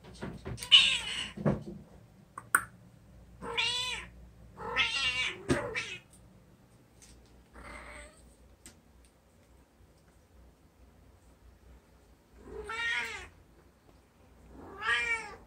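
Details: Male calico cat named Lotto, kept indoors as a pet, meowing repeatedly: clear rising-then-falling meows in two bursts early on, then two more after a quiet stretch, with soft rustling and knocks between.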